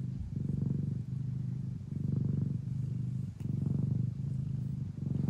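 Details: Mia, a Thai or Old Fashioned Siamese mother cat in the Netherlands, purrs loudly as she nurses her hungry kittens; low rumbling purr swelling and fading in long breaths roughly twice a second, otherwise quiet.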